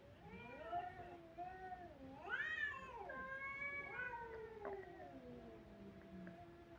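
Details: Kittens crying in overlapping voices, several short rising mews then a loud arched wail and a run of wavering, downward-sliding cries, a faint click near the end.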